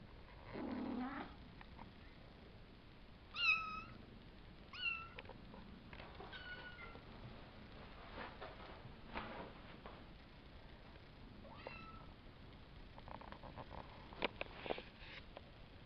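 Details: Savannah kittens about five weeks old, born April 22nd and filmed May 30th, a litter of three males and two females: a few thin high mewing calls, some with a falling tail, amid quiet indoor rustling and soft knocks.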